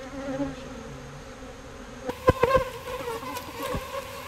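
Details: Bees being moved from a birdhouse into a bee box give a steady low droning hum with layered tones, broken midway by sharp knocks and clicks of handling.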